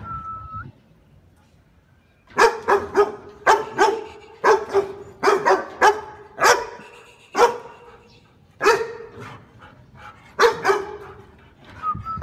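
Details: Miniature Pinscher; bark; reacting to a stranger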